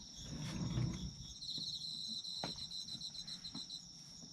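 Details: Autumn insects trilling: a rapid pulsed chirping series runs through the middle beneath a steady high ringing tone, after a brief low thump at the start and a few sharp clicks.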